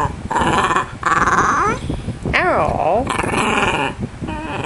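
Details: Pet dog being coached by its owner to say hello, producing drawn-out, wavering howl-like vocal sounds with rising and falling pitch between bursts of human speech; a fan hums steadily in the background indoors.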